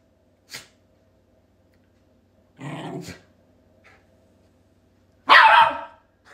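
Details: Shiba Inu pet dogs at home, in a behaviour they always show: a short rough growly sound near three seconds, then one loud sharp bark, with long silent gaps between the sparse sounds.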